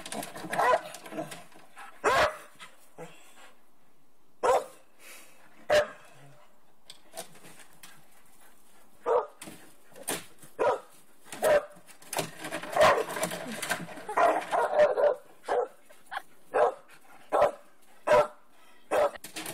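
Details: Young wolfdog pestering and annoying an older dog in the household; short sharp barks and yips come in scattered bursts, quiet at first, then denser growling-bark exchanges from about nine seconds onward.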